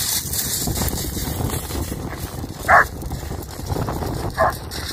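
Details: An excited German Shepherd on a UK beach walk on 29 March 2021 in spring, playing fetch, gives two loud, abrupt barks more than a second apart over a constant roar of surf and wind.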